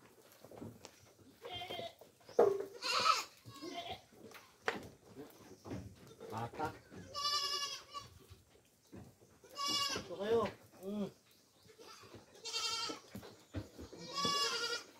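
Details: Raised goats being given coconut pulp as feed: repeated wavering, nasal bleats from several animals, some long and shaky, spread through the recording, with a man talking briefly and clattering handling noises.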